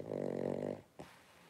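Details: Three-week-old blenheim Cavalier King Charles Spaniel puppies, a litter of five, wrestling and playing in an indoor puppy pen; a low, buzzy, harmonic growl lasting under a second, followed by a soft knock and quiet room.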